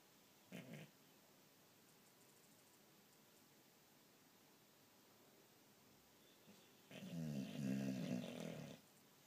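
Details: Sleeping boxer dog snoring indoors: a short low snort early on, a long quiet pause, then a loud, rough, rumbling snore lasting nearly two seconds.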